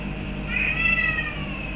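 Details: Boris, a pet Birman cat, gives one long, level meow lasting about a second while asking for a forbidden feather duster, with a constant background hum.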